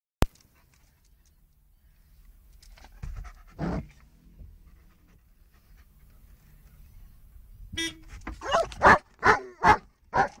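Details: German Shepherd barking in reaction to a car horn: after a quiet start and one isolated burst, a short horn blast sounds, then a quick run of about five loud, sharp barks.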